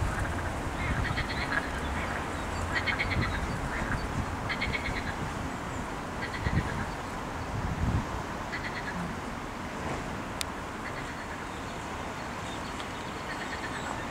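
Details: Frogs croaking on 8 May 2021 near mallards: short, buzzy pulsed croaks come in repeated bursts every second or two, fairly soft, above steady low rumbling background noise.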